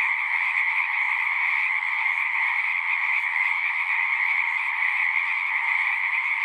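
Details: Many frogs singing together in a natural nighttime-style chorus, a dense continuous trilling wall of sound with strong bands in the mid and upper range, steady and unbroken throughout with no other clear sounds.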